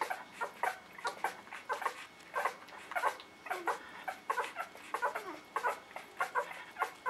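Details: Newborn puppies of the dog Maddie whimpering indoors, a busy stream of short high squeaks and mewing cries, many overlapping voices repeating rapidly with irregular spacing, in a small room.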